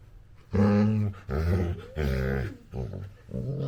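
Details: Labrador Retriever puppy making funny noises while playing with its owner: four loud, drawn-out, harmonic growl-whines, each about half a second to a second long, the second bending in pitch, with short breaths between.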